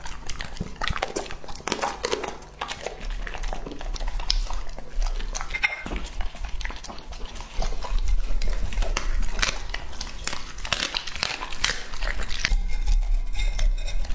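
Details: Lucky, a two-and-a-half-year-old male English-type Labrador Retriever, eats a meal. Irregular bursts of crunching and chomping run fast and unevenly throughout, with some handling noise mixed in.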